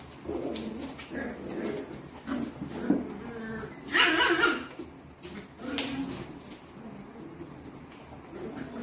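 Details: A puppy during its daily routine of fighting, barking and making mischief gives two short, sharp barks, around four and six seconds in, over a low murmur of other noises.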